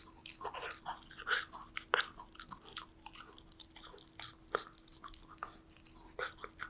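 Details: Danbi, a Golden Retriever puppy, munching on snacks: sharp crunches and biting clicks, spaced unevenly, roughly one or two per second, over a quiet constant hum.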